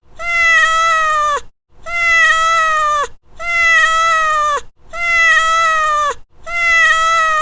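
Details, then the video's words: Domestic cat meowing: five long, even, harmonic-rich meows of about 1.3 seconds each that hold a steady pitch and drop at the end, spaced by short silences. "Cat Meow"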